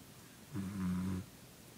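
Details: A Pembroke Welsh Corgi asleep in a living room at 3 am during a power outage gives one low, droning snore lasting about two-thirds of a second, over a faint background hiss.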